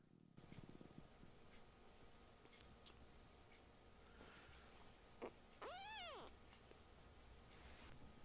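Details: Small rescue kitten raising its voice near the older brother cats: a single arched meow rising then falling, preceded by a short sharp cry, over a steady low indoor hum and faint rustling.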